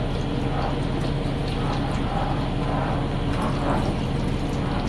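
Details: Steady low rumble like a running vehicle or pouring water fills the whole stretch, with faint murmurs of voices and no animal calls.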